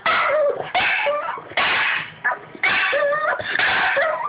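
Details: Boston Terrier whining to get attention in a small room; repeated high, nasal whimpers in bursts about a second apart, pitch wavering and dipping at the ends.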